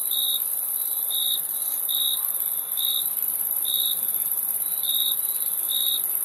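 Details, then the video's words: Crickets chirp with clear high notes spaced about a second apart, some followed by fainter echoes. A steady shrill background drone continues throughout. "Crickets Chirping Sound"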